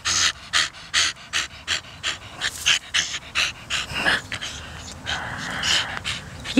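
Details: Donut, a 13-year-old Staffordshire Bull Terrier cross dog, panting hard in quick breathy huffs, roughly three per second, with a few squeaky high notes mixed into the breaths.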